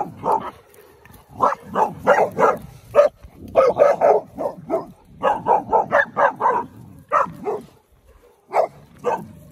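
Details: Sixteen-week-old Cane Corso puppies, with their mother nearby, getting worked up at pigs that were ready to eat: rapid bursts of sharp, mid-pitched barks and yips in clustered volleys with brief pauses between them.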